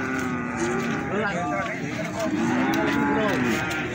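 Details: Young bulls at Plaosan cattle market in Magetan, Indonesia, lowing repeatedly; a run of overlapping, arching moos, rising then falling, fills these four seconds against market chatter.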